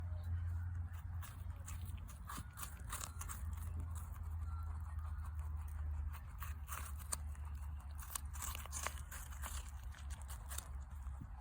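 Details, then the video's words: Rabbits eating an apple: a steady run of short, sharp crunching and biting clicks, irregular and close, over a constant low hum. "Rabbits 🐰 vs Apple 🍎 Conejos comiendo una manzana"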